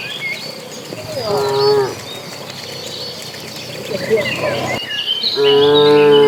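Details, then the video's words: Cattle herd of dozens heading to green pasture, giving two deep, resonant moos about four seconds apart; the second is louder and longer, with birds chirping in the background between them. "Suara sapi lucu riang gembira"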